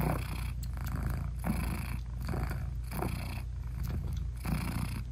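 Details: Mother British Shorthair cat purring while nursing her newborn kittens, their eyes still closed, indoors with no music; a deep continuous rumble with soft breathy swells about once a second.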